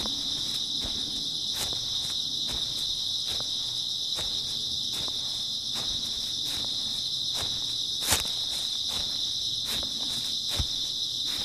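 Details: Grass insects on an early autumn night: a steady, shrill, continuous high chirring chorus, with soft footsteps crunching regularly underneath about every second.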